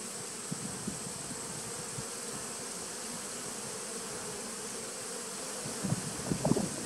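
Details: Steady buzzing hum of honey bees in a nuc started in 2017, recorded 19 September 2018. The drone holds evenly, and near the end a cluster of sharper buzzy bursts rises over it.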